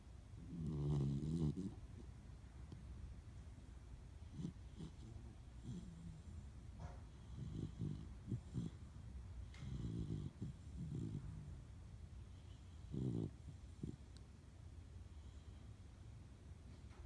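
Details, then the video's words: Sleeping German Shepherd puppy snoring, deep raspy rumbles with a loud first breath, then softer irregular snorts and snuffles spaced a second or two apart in a quiet room. "the German Shepherd puppy, has a snoring problem"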